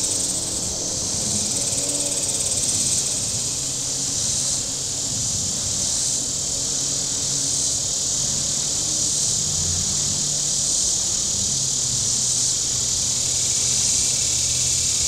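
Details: Shoreline cicadas at Table Rock Lake, southern Missouri, on a very warm day, keep up a continuous shrill hiss that throbs about three times a second and swells slightly, with boat motors humming low beneath.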